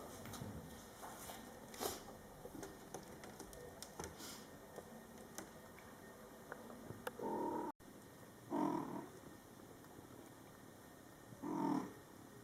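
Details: Mother cat Coco talking to her Scottish Fold kittens, born July 22, 2012, during their first month of life, indoors; three short, loud, harmonic meows near the end, after quiet rustling and soft tapping.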